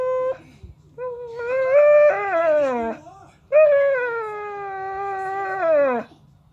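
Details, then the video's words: Pocket American Bully, a seven-month-old dog, whines in two long, rising-then-level tonal cries of about two seconds each, slightly wavering and falling at the end, over a low steady background hum. "Pocket American Bully whining"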